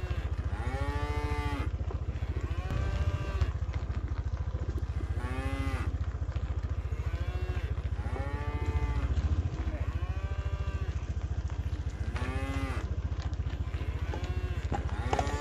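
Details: Tame village cattle being herded home together to their pen, lowing repeatedly: arched, harmonic moos about every two seconds over a steady low engine-like drone.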